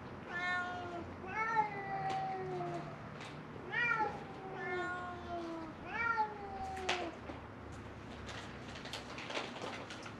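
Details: Feral cats, three of them, crying for food by a closed-down building at Mare Island Naval Shipyard, Vallejo, California; drawn-out falling meows repeat about every second or two, harmonics stacked, with faint clicks and low background hum.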